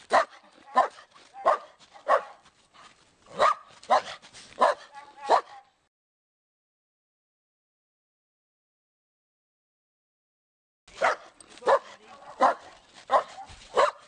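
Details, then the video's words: Pet dog barking in quick bursts of sharp barks, then about five seconds of silence before the barking resumes at the same rapid pace. "som de cachorro - Dog sound"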